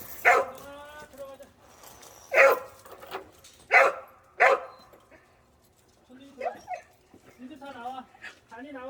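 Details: Back from a walk, pet dog Cheondungi fires off four loud, sharp barks spaced one to two seconds apart, followed by softer, wavering, whine-like tones with voices talking nearby.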